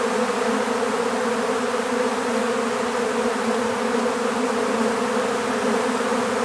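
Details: Swarm of honeybees during capture into an empty bee hive, giving an unbroken, even, low droning buzz throughout, dense and constant in loudness, nothing else audible over it.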